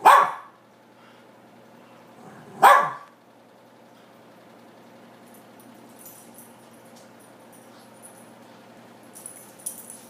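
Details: Camera-shy pet dog barking at its owner: two sharp single barks in the first three seconds, then quiet with faint rustling and soft clicks.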